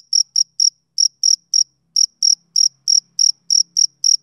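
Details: Chirping male cricket, summer evening: bright high-pitched pulses come in uneven little runs with brief gaps, roughly three or four per second, crisp and sharp against an otherwise silent background.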